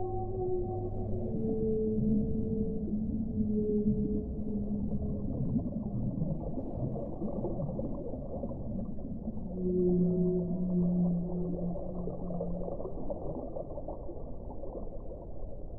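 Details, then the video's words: Whale song: a series of long, low, steady moans with faint overtones, several held notes rising and falling in pitch, heard over a constant deep underwater rumble. "1 ora di suono delle balene"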